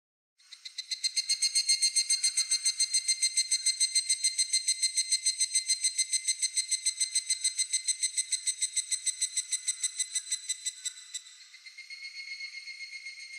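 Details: Cicada singing in Japan: a bright, metallic pulsed buzz with ringing overtones, about three and a half pulses per second, steady for some ten seconds before dropping to a softer, slightly altered trill.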